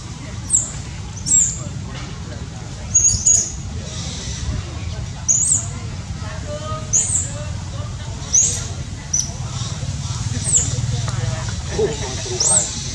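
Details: Baby monkey Dodo, hungry and screaming to ask for a banana alongside other hungry babies: shrill, high, brief screams with falling ends, repeated roughly every second about ten times over a steady low rumbling background.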